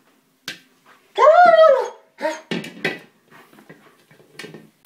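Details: German Shepherd attacking a small buoy and getting upset because he cannot puncture it; one loud, rising-then-falling, high-pitched whine, followed by shorter squeaky whimpers and soft scuffling noises indoors.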